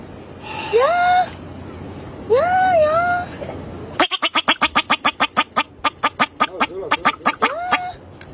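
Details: Wild bobak marmot giving loud, harmonic yelps that swoop upward, two near the start and one near the end, with a fast train of about twenty sharp clicks in between.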